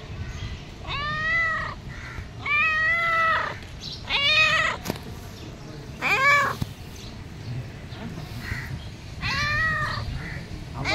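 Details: House cat pleading with its owner for food, meowing five times at irregular intervals of about two seconds; each call arches up and falls away, and the fourth is shorter and sharper.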